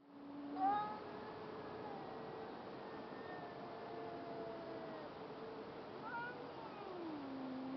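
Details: Cat in an outdoor standoff with another cat, a third watching, as the black and white cat backs off and the wailing subsides. Faint, drawn-out tonal moans, a brief higher rising cry, then a long low wail sliding downward.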